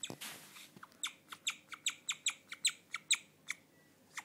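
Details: A guinea pig, a female, chirps like a bird in a run of short, high notes, about two or three each second, in the dark. The owner calls this rare behaviour and the sound quality is poor.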